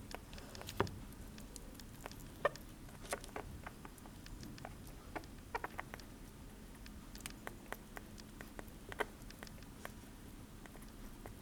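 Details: Sugar glider (Petaurus breviceps) eating blueberries: chewing with soft, irregular clicks and crunchy smacks over a faint steady hum.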